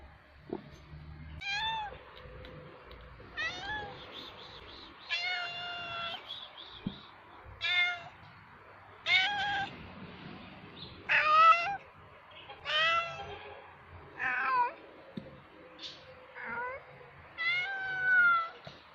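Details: A male cat calling to attract females for mating after urinating: a series of about twelve strained, wavering yowls and moans, each around a second long, repeated every one to two seconds with short pauses between.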